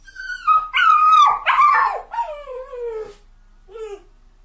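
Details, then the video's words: Wavering, strained whining from a sadly crying dog, swelling into loud broken yelps, then easing into a long descending wail, with one faint short whimper after a brief silence. "The Sound of a Dog Crying"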